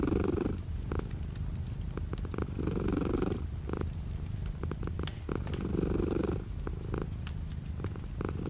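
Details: Deep, buzzing cat purr with light rain outside the window, pulsing in breath-length swells roughly every two and a half seconds, overlaid by crisp raindrop taps and occasional louder drips.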